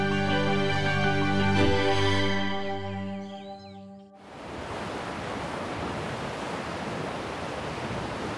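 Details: Sustained layered music chords fill the first four seconds, then fade into steady broadband rushing like surf or waterfall noise.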